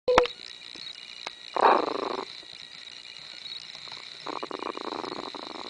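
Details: Six-week-old Chihuahua puppies at play, sister Lilly showing little brother Dash who is boss: two rough, rumbling growl bursts, one short and one longer, with a sharp click at the start and a steady high hum throughout.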